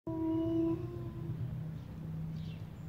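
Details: A white Arctic wolf gives a steady, mournful howl that sags slightly in pitch before a lower tone follows.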